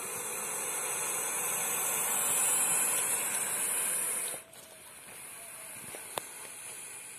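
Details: Indian rock python, described as a giant snake, hissing: a steady, loud, airy broadband hiss lasting about four seconds, then fading to quieter background with a sharp click and people nearby.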